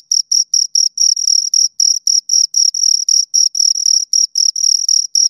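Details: Chirping of two crickets: high, buzzy pulses about four per second, some running together into longer bursts where the two overlap, a clear sharp tone over silence.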